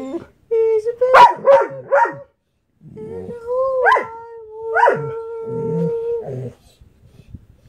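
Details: A sleeping Dalmatian wakes and gives drawn-out, wavering howls and whines, seemingly annoyed, as its owner sings a waggy-tail song alongside.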